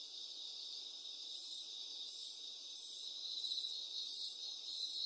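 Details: Cricket calling with a steady, shrill, high-pitched trill, overlaid by a fainter upper layer that pulses about every half second and swells slightly toward the end; nothing else is audible.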